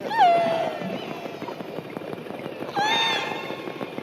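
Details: Underwater recording: two harmonic killer whale calls, one falling then level, the other rising then held, over a patter of clicks.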